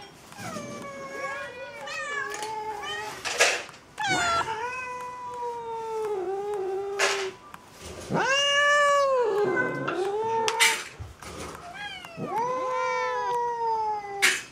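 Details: Domestic cats clamouring at feeding time: a run of loud, long meows, some bending upward then sagging, others short and quick, repeated through the stretch, with brief knocks and rustles between calls.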